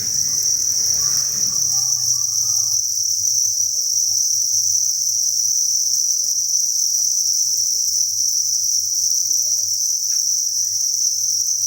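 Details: Crickets by the thousands at a breeding farm chirp in a steady, piercing high chorus; rustling and handling noise crowds the first two seconds, then only faint scattered clicks accompany the drone.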